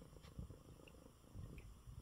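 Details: Low steady purring from Coco, an unwell male house cat resting in his bed after a good meal and eye ointment; deep throbbing pulses run the whole time with two faint high ticks.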